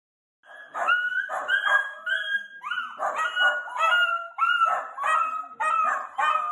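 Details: Playful Miniature Dachshund, a sausage dog, from a puppy compilation: a run of high, tonal yips and whining squeals, each rising then bending down, pouring out almost without pause, with no other sounds.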